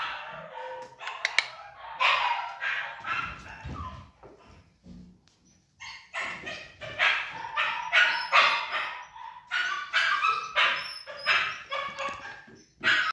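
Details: Pomsky cross Samoyed dog with bursts of shrill, rasping yaps, a quieter stretch around the middle, then a fast, uneven string of high barks that goes on to the end.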